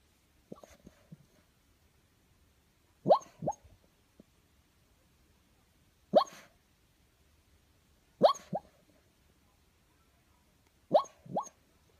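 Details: A sleeping, dreaming Maltese dog gives soft, muffled woofs in pairs every few seconds while sleep-talking.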